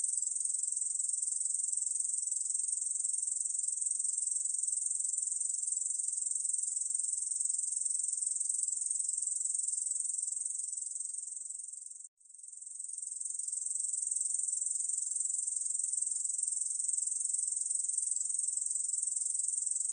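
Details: Korean bush cricket song, recorded in 2020 for Korea's National Institute of Biological Resources: an unbroken high, sizzling trill of fast regular pulses, fading to a brief pause around twelve seconds before resuming at full strength.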